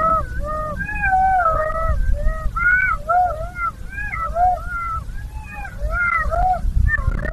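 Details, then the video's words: Golden jackals howling: several overlapping wavering, wailing tones that rise and fall in pitch and bend into short yipping notes, continuing without pause for about seven seconds over a low background rumble. "Szakal złocisty - wycie"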